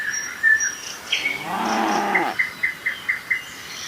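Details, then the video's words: One of dozens of tame cattle jumping down a mountain slope gives a single short, wavering moo midway, among a steady series of high bird chirps. "Suara lucu sapi moo"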